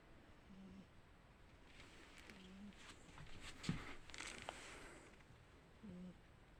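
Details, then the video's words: Sleeping cat snoring: soft, low humming breaths recur about every two to three seconds against a quiet background, with a few faint clicks and rustles between them. "Кошка, которая храпит"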